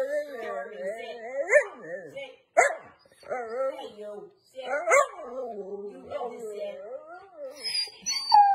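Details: Siberian husky, a female pet, grumbling back at her owner's command to sit: wobbling, yodel-like moans in several bursts, each swooping up and down, with a few sharp accented barks between them.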